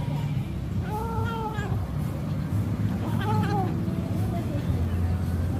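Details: Small domestic cat making a funny sound while eating: two drawn-out, arching, harmonic meow-like calls about two seconds apart, over a steady low rumbling hum throughout.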